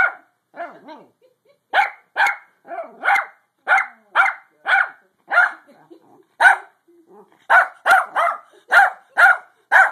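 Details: Pug trying to sleep, giving a series of short, sharp barks with grunting onsets, in irregular bursts of one to three, about twenty across the stretch, with brief quiet gaps between.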